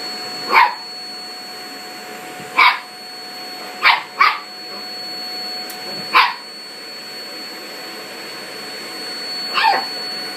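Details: Toy Poodle, afraid of a vacuum cleaner, confronting it while backing away; six sharp yapping barks spaced irregularly about one to two seconds apart, with a steady vacuum cleaner hum underneath.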